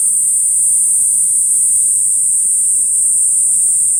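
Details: Kaempfer cicada singing: a steady, unbroken high-pitched shrill drone holding one level throughout, without pauses or pulses, with faint low background rumble beneath.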